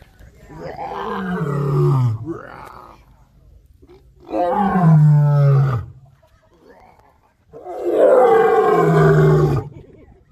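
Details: A white lion named Solomon at Animal Adventure Park, Harpursville, New York, on 15 October 2021, gives three long, deep roars, each a rough, moaning bellow sliding downward before breaking off, about two seconds apart; a person roars along.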